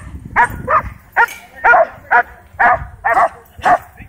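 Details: Dogs at a dog park barking while worked into a wild frenzy by a DJI Mavic 2 drone. Sharp, evenly spaced barks come about twice a second, nine in quick succession, with a low rumble of background noise.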